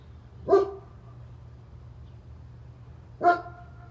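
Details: Neighbor's German Shepherd giving two single barks about three seconds apart, each a sharp burst with a short ringing tail, over a steady low hum.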